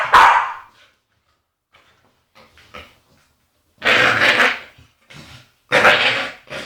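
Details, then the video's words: Agitated female Staffordshire Bull Terrier making funny noises: a rough bark, soft snuffling grunts, then two long, loud, growly bark-howls close together. "Agitated Staffy makes funny noises"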